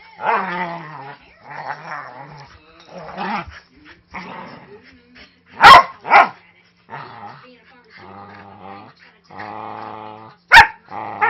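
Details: Play-fighting indoors, a 5-year-old Manchester Terrier mix named Snoopy growls in long, rumbling stretches broken by a few sharp bark bursts. It sounds aggressive but is harmless, and the 3-month-old husky lab puppy Jude loves the rough housing.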